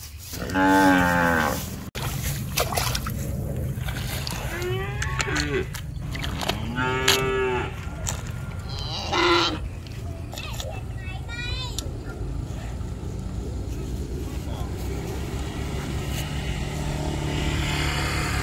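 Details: Several cows on a street, where a calf drinks milk; repeated wavering, harmonic moos of one to two seconds each arrive irregularly over the first twelve seconds, then fade into steady low rumbling street noise.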